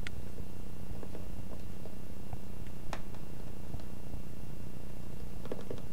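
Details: Cat purring while playing: a steady, low, rumbling purr runs throughout, with scattered soft clicks and taps on top.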